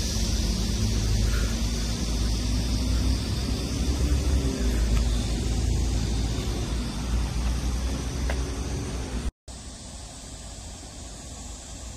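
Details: Steady low engine-like rumble and broad outdoor noise throughout, with a brief dropout near nine seconds and no animal voice.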